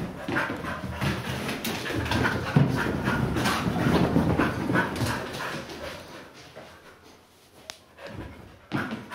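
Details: Playful Siberian Huskies on a sofa indoors: quick rhythmic panting about three breaths a second, soft whimpers and thumps of play, fading quieter toward the end, with a sharp click near the close.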